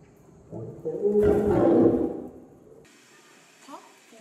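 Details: Zoo animal letting out a single rough roar of about a second and a half that swells and fades, followed by quiet background with a faint brief sound.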